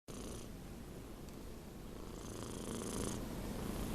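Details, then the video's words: Domestic cat almost six months old, asleep, snoring: a steady low rumbling purr-like drone with a rhythmic pulsing texture, slightly louder in the second half, in a quiet indoor room. "CAT SNORING - GATO RONCANDO"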